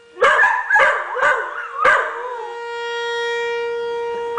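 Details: A Blue Heeler and a rescue dog react to a tornado siren with a few short, warbling yip-howls over the first two seconds. The dogs then fall silent, leaving a steady, unbroken siren tone.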